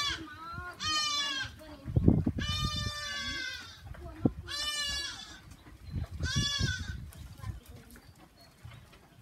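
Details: Several quavering goat bleats ring out on a small goat farm, some short and some drawn out, overlapping with thumps, shuffling and faint voices in the background.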